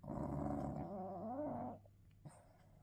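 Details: English bulldog snoring in its sleep: a long, harsh, wavering snort of nearly two seconds, then near silence with a faint click and a low background hum.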